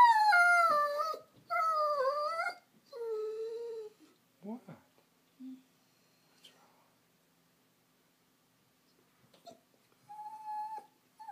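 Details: Female Vizsla gun dog whining for attention out of loneliness: bending, wavering high cries that fall away into short yelps and soft sounds, then silence and one final steady whine, with a person talking nearby.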